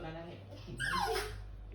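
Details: Frightened poodle facing high stairs gives a thin, high whine sliding steeply downward, over a person's encouraging voice calling it to come.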